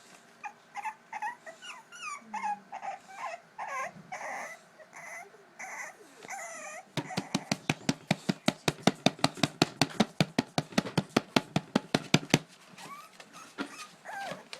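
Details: English Bulldog puppies at the edge of their pool trying to escape, wanting to come out to play: high wavering whines and yelps at first, then a fast run of sharp, regular scratching or tapping clicks, then more whimpers.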